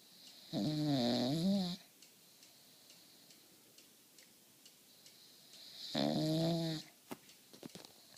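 An English Bulldog snores loudly, each rattling, buzzy breath lasting about a second before a pause.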